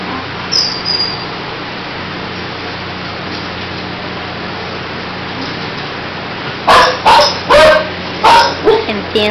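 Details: Litter of puppies, fifteen days old, with their mother, eyes newly open: a long stretch of steady hiss and faint rustling, then a burst of five or six brief whining squeals and yelps in rapid series at the end.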